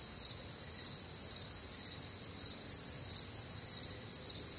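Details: Crickets calling through a warm, humid Midwestern summer night, overlapping high chirp trains in separate pitch layers, beating rapidly and a little unevenly, over a gentle low hiss of night ambience.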